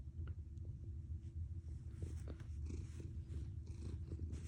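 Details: Close, loud purring from a house cat, a rapid low throbbing rumble that sounds like an engine, with a few faint clicks and brushing sounds.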